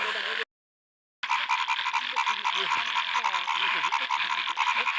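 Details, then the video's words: Frog chorus at a small lake in a field in the first rain, heard after a short silence: many overlapping, fast, nasal croaks forming a busy, pulsing wall of sound with brief louder bursts. "amazing frog voice in the first raining field in small lake"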